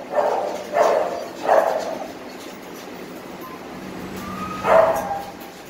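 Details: Young brown Teacup Poodle mix receiving a first-dose Carre vaccine gives three quick, rough barks in a row, falls quiet for about two seconds beneath a faint hum, then barks once more.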